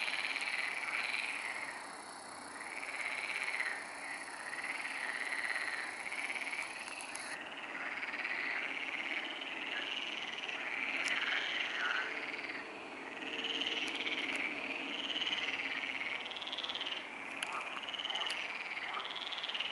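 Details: Night chorus of frogs at the Neuer Teich pond, 23:27 on 28 May 2017: rapid overlapping croaks run throughout in surging waves, with a few brief sharp clicks in the second half.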